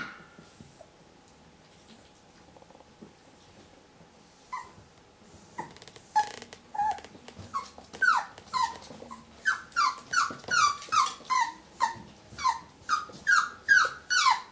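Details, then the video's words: Whippet confronting a stranger in the mirror: quiet at first, then a few soft cries build into a rapid run of high, downward-sliding whines and yelps, about two per second. "Muffin vs. Stranger in the mirror"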